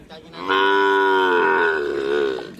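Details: Cattle during karapan sapi race training at the Asemanis field, giving one long, steady moo of about two seconds, strongly harmonic and slightly falling near the end, with faint background murmur.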